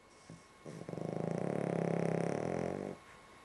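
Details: A dog snoring while asleep indoors, one long rumbling breath of about two seconds with a rapid fluttering, pulsed texture throughout, preceded by a couple of short soft snorts.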